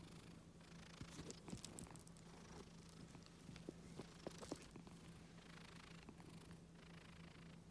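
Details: Scottish Fold pet cat purring softly under neck and ear strokes; a low, unbroken rumbling drone, with a few brief rustles and handling noises on top.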